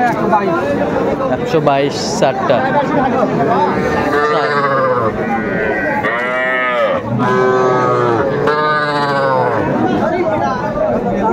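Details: Small bull and heifer calves calling at a Manikganj cattle market, Bangladesh, 1 September 2024; a few drawn-out, arching moos stand out midway amid loud crowd talk and haggling over prices.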